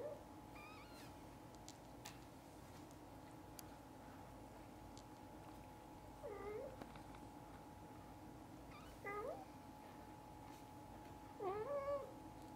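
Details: Mother cat and kittens; after faint early calls, three clear hooked meows arrive roughly every three seconds, the last one longer and wavering, with a persistent electrical hum throughout.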